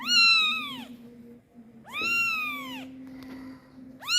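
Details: Loud kitten calling for its mother while pooping, giving two strong arched meows about a second long, bright and harmonic, then the start of a third, with a low background hum between calls.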